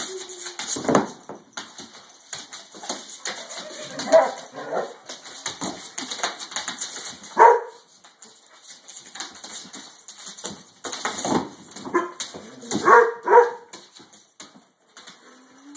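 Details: Rottweiler named Keelie, worked up by a flashlight, gives short yelping barks and whines near 4, 7.5 and 13 seconds, amid scuffling, rustling movement noises and a person's brief speech.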